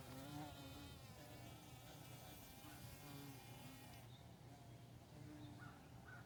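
A carpenter bee gives a low, steady droning buzz that rises and falls slightly as it moves.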